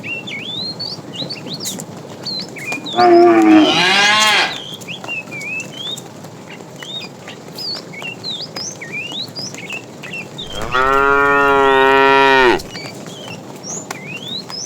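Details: Fat cow among a tame herd driven in the afternoon, calling the female: a short rough moo, then a long steady harmonic moo lasting about two seconds, over constant bird chirps.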